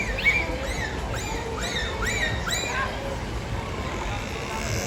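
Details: A dolphin at a SeaWorld Orlando show on 31 October 2024 vocalizes through its blowhole, giving a run of arched, rising-then-falling whistles about twice a second.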